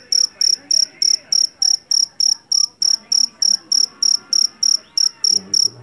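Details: Javanese field cricket (jangkrik jeliteng), taken from a rice paddy, calls with piercing high chirps repeated evenly about three per second over soft, indistinct background noise.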